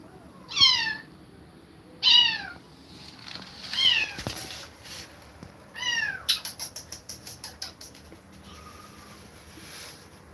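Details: Kittens forced apart from an aggressive mother cat; loud, high, falling mews repeated about every one and a half seconds, followed by a quick run of rapid clicking or tapping and quiet background noise.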